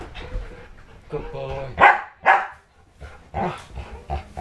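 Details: A protective pit bull-husky mix, Dojo, barks at someone faking attacks on a newborn: two strong barks in the middle, surrounded by softer grumbling, with a person talking encouragingly over it.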